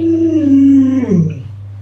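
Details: Luoluo, an Alaskan Malamute, howls to rouse its owner who refuses to get up; one sustained howl gliding downward and ending in a dropping wavering tail, over a constant low electrical hum.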